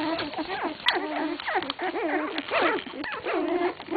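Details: Sixteen-day-old English Cocker Spaniel puppies cry in a continuous chorus of high, quavering squeaks and whines. Many pups overlap, with short falling yelps mixed among longer wavering moans.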